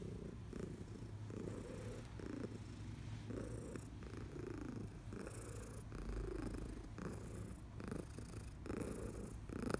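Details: Elderly female house cat, fourteen years old and once a long-term shelter resident, purring contentedly as she is stroked; continuous deep rumble with breathy pulses rising and falling about every second, plus faint rustling.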